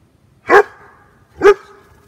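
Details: Max, a German Shepherd dog, playing in water and running around, gives two loud, sharp barks about a second apart over near silence.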